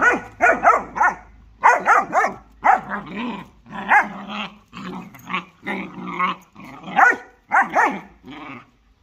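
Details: Fighting dogs, a German Shorthaired Pointer against a Jagdterrier, trade loud clipped barks and gravelly snarls, about sixteen short bursts packed closely together in a steady, aggressive rhythm.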